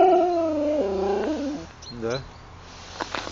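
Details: ['A Siberian Husky in the Urals, recorded on a GoPro, gives a long wavering howl-like vocalisation that steps down in pitch, followed by a shorter rising and falling whine and faint clicks.']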